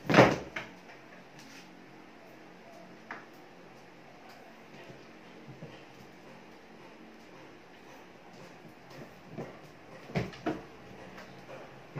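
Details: Indoor clatter of door and cupboard bumps with sharp knocks and faint distant voices, no animal calls heard.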